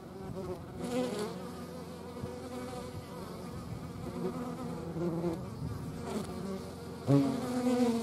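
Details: Hornets buzzing near the Eifel, possibly alongside wasps and honey bees: a steady low droning hum with layered tones, wavering in strength, and a louder, closer buzz rising near the end.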